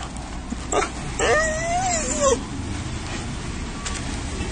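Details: Stray street dog running up happily to greet a familiar person, crying and jumping on the chest for attention; a single drawn-out, wavering whine rises and falls for about a second over steady street and traffic noise.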